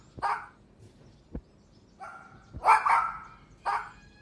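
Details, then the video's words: Outdoors, puppies tussle over a toy with their mother dog, giving a few short sharp barks spaced about a second apart, the loudest a quick double bark, with quiet between. "Cute Puppy Toy Battle with Mother Dog | Funny Barking Sounds"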